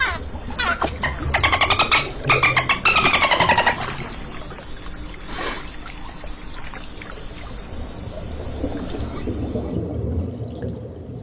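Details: Dolphin sounds open with a few fast pulsed bursts, rasping click trains with falling bands, lasting about four seconds. They give way to low rumbling, watery background noise with faint scattered clicks.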